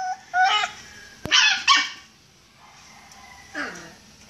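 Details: Caged Miniature Pinscher that wants to be let out, giving a high whine, two sharp yips with a click between them, then a falling whimper after a pause, indoors.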